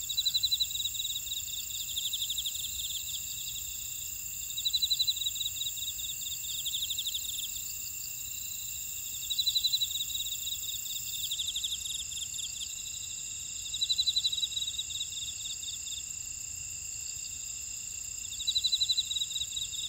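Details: Insects in a buckwheat field at Ora-dong, Jeju, South Korea: steady high-pitched ringing drones in several layers, with a louder pulsed trill rising out of them about every four and a half seconds.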